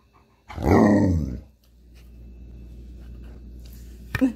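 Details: One of two pet Alaskan Malamutes, Tonka and Monroe, gives a single loud, deep, harmonic bark-like woo lasting under a second, then low indoor hum with a sharp click near the end.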